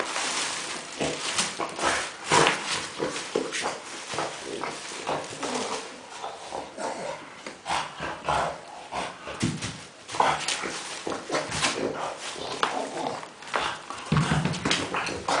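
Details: Kuba, a dog playing indoors with tennis balls, makes funny pig-like grunts and snorts, short rough bursts repeated steadily through the clip with soft clicks and rustling between them.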